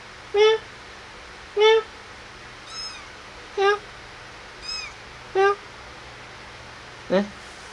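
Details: Indoor kittens playing and being fed mew repeatedly, short harmonic calls about every second or two, alternating with fainter high thin cries, ending in a sharper rising meow over a faint hum.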